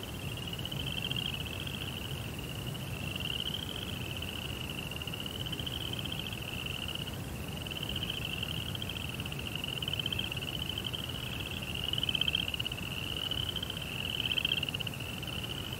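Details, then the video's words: Crickets chirping at night beside a koi pond in a Japanese rock garden, an unbroken high buzzy trill with gently wavering pitch, louder bursts near the end, over steady low-frequency noise. "Cricket Sounds"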